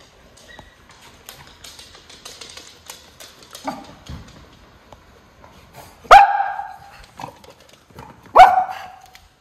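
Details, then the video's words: A Miniature Schnauzer, relaxing after time in the yard in Aroostook County, Maine, on July 26, 2022, gives two loud, abrupt bark-howls with short tonal tails, howling eerily at the neighbour's dogs. "Call Of The Wild - Miniature Schnauzer Brothers"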